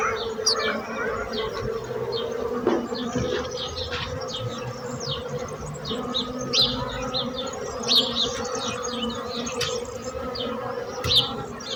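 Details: Continuous droning buzz of bees forming an even hum beneath frequent short, high bird chirps scattered across the recording, plus a brief knock near the third second.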